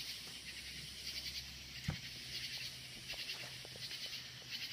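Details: Loud crickets outdoors at night: a dense, continuous high-pitched trilling chorus with a rapid pulsing rhythm, and a single soft knock near the middle.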